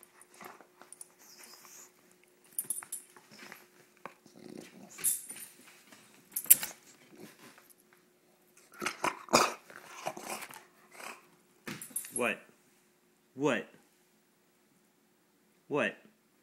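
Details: Roxy, a female bulldog, indoors while teased playfully and showing off her teeth: short growling bursts with rising and falling whining tones, louder groups around the middle and spaced single grumbles toward the end, in a quiet small room.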